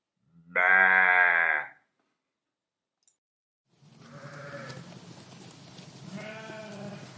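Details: Sheep eating grass in a meadow: one loud, harmonic, wavering bleat lasting about a second, a pause of silence, then fainter bleats in two bursts over steady rustling, grazing background noise.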